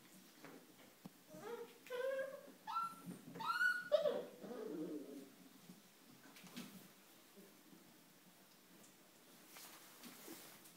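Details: Five-week-old puppies of Ellie playing indoors in their whelping box on a rainy day; a quick run of high, squeaky whimpers and yelps, some rising then falling, over about three seconds, followed by quiet room sounds and soft rustling.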